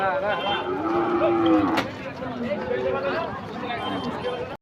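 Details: Panicking cattle at a truck unloading on 3 April 2023: a single mid-pitched moo holding steady for about a second early on, then fading into a busy mix of human voices and crowd noise.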